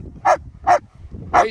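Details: German Shepherds Nico and Zeeva playing in the sun in the Scottish Borders, Hawick: three loud, bright barks, the first two close together and the third after a short pause.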